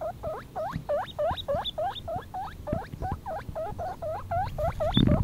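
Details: Four-week-old baby guinea pig named Mini-Maus, out on a lawn for the first time, squeaking loudly: a rapid run of rising, hooked whistled squeaks, about three per second, over low rustling.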